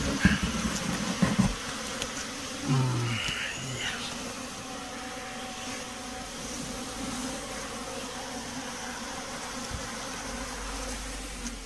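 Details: Honey bees handled during beekeeping: a steady low droning hum with a few even overtones, holding level throughout, after some brief knocks and rustling handling noises near the start.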